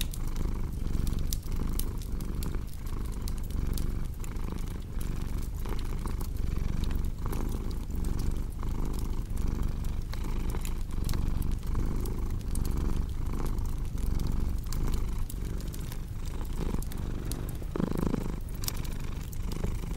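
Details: Domestic cat purring steadily, a deep low rumble pulsing in regular breath cycles about every three quarters of a second, with the sharp pops and crackles of a fireplace scattered throughout.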